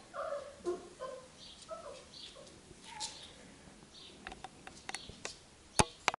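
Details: Labrador Retriever puppies being accustomed to an indoor kennel, 8 June 2015; high thin whining notes rising and falling at the start, then clicks, rustling and a couple of sharp knocks.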